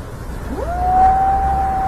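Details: A kitten meets its father cat on the street. A single meow sweeps sharply upward, then holds a long, level, clear tone to the end, with a low rumble of traffic beneath.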